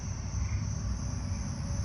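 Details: A Carolina ground cricket, identified by its up-and-down call, gives a steady, high, buzzy trill at night amid other crickets, with a low rumble and lightning nearby.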